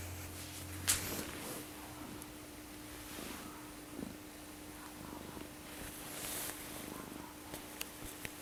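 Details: Blackie the cat snoring while asleep indoors: soft, low breathy pulses repeated roughly once a second over a faint steady hum, with a brief sharp click near the start.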